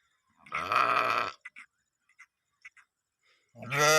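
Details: A sheep, grazing with the flock in green fields of an Iranian village in Gilan, gives a long, low, harmonic bleat, followed by a few soft clicks and a second bleat.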